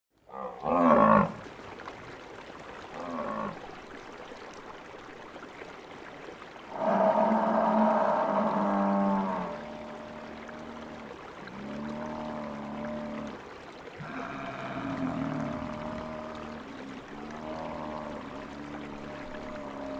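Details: Buffalo in the wild on the savannah giving a series of deep, drawn-out harmonic moans and lowing calls, some long and steady, others shorter and wavering, spaced a few seconds apart over a constant background hiss.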